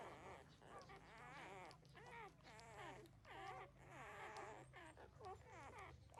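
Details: Thirteen-day-old puppies nursing from their mother, giving repeated high harmonic whimpers and squeaks that rise and fall, several overlapping in quick succession with a low steady hum beneath.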